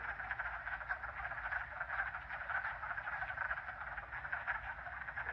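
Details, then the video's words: Hundreds of wood frogs calling together at a vernal pool during the mating season, a sign of spring; a dense, continuous chorus of clucking, duck-like croaks with a steady low rumble beneath. "I'm down at a Vernal pool that sound is a sound of hundreds of wood frogs during The Mating Season"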